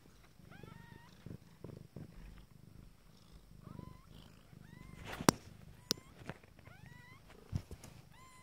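Nine-day-old Abyssinian kittens mew in thin, high, hooked cries over a low, steady purr.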